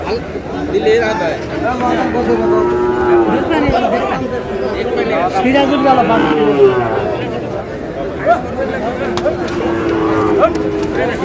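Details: At a Chattogram cattle market in Bangladesh where Sahiwal bull calves are being sold, on 5 June: several drawn-out, low moos rise and fall amid constant haggling voices and crowd noise.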